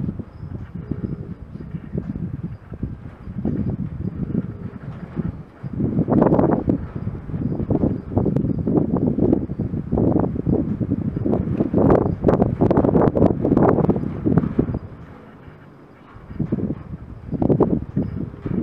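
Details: Gypsy Vanner filly named Merida at White Bison Farm, napping in August 2016: loud, rough, rapid fluttering snore with continuous low rumbling breaths, a brief quieter pause near fifteen seconds, then the snoring resumes.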